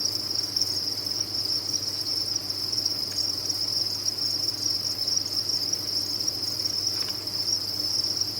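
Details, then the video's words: A mass of captive crickets on a cricket farm chirps without pause, merging into one bright, steady high trill, backed by a quiet low-pitched hum. "Sound of a Cricket Farm"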